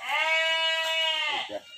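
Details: Large local ram, about 90 kg and called the biggest in the village, kept for natural mating service and about to be moved to a pen. It gives one sustained, wavering, high nasal bleat lasting over a second, with people talking faintly after.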